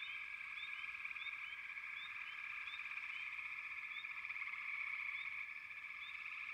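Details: A continuous chorus of frogs makes a thick, droning buzz, and brief high chirps pop out over it at an irregular pace.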